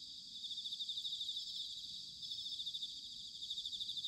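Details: Autumn chorus of bell crickets from Sanuki in Chiba, Japan: dense, high, pulsing trills from several insects overlap in a gently throbbing shimmer.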